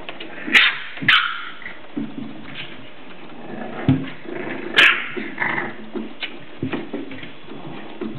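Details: Indoor play among English Bulldog pups aged seven weeks: sharp yelps and barks come in uneven bursts, with growly whines, soft grunts and hard knocks of bodies or paws.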